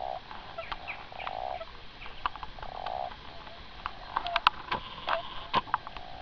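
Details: A common toad (Bufo bufo) on the Gargano in winter 2014 gives short bursts of soft, rapid croaking notes, with scattered clicks and taps.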